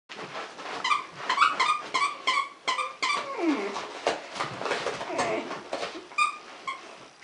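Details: Dachshund playing with a 10-week-old Malamute/Akita cross puppy gives short, high yipping barks in quick uneven bursts with a brief drawn-out whine; Dachshund.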